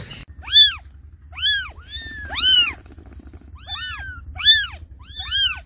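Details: A cat calls with clear, arching meows that rise and fall, given in a loose series roughly one a second, against a quiet low hum.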